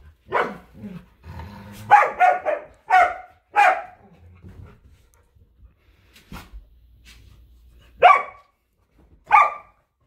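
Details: A Samoyed, Luma, and a Keeshond, Zuko, wrestle for a squeaky hedgehog toy in a yard in winter. A low growl runs under a quick cluster of barks, then two more spaced single barks.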